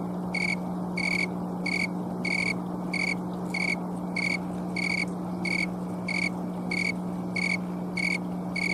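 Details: Late-season green tree cricket in Colorado on an October afternoon, singing by rubbing its wings, recorded on a camcorder: about thirteen crisp, high chirps at a steady pace, with a faint continuous hum beneath.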